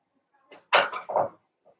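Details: Blenheim Cavalier King Charles Spaniel puppy from a litter of five in an indoor puppy pen, giving a short run of three quick, harsh yaps in under a second, then a faint soft yip.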